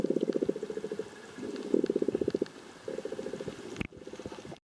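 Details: Pod of common bottlenose dolphins echolocating while hunting in north Santa Monica Bay, California, 100 meters off the beach, late afternoon at high tide, July 21, 2022; rapid low buzzing click trains come in four bursts separated by short pauses.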